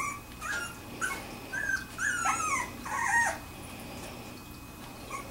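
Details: Wirehaired Pointing Griffon puppies, two weeks old, from a kennel litter, giving thin high whines and squeaks, short wavering cries bunched in the middle with quieter gaps before and after.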